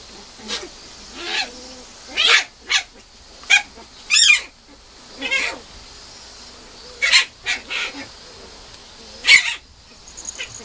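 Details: Female Mame Shiba puppy, labelled 6.17, at a breeder's kennel, giving loud high-pitched whines and short yelps in irregular bursts, some notes rising then falling, with quiet pauses and a low steady background hum.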